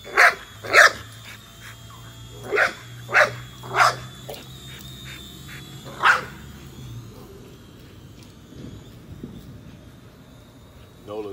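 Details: Chasing a drone, Nola the female American Bully fires off a rapid run of loud, punchy barks, roughly one every half second to second, then falls quiet. A steady low hum and the drone's high whine continue.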